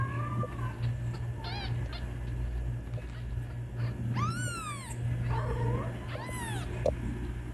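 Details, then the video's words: Kitten calling its mother with scattered meows, two loud arching ones standing out among short fainter cries, a low hum running throughout. "Kittens Meowing To Call Mom"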